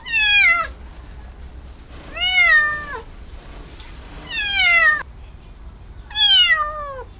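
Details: Rescued feral kitten, a stray taken in and treated for bugs at an animal hospital, meowing indoors: four loud, high, bright mews, each falling in pitch, spaced about two seconds apart, with quiet pauses between.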